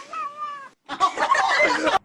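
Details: Domestic cat indoors, one of several cats, giving a clear, level meow of about two-thirds of a second, followed after a brief pause by a harsher, noisier, wavering cry lasting about a second.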